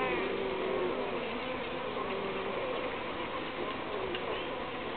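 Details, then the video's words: Uruçu bees droning in a steady, dense hum, with several wavering buzz tones gliding up and down throughout and no clear pauses. "Abelhas Uruçu"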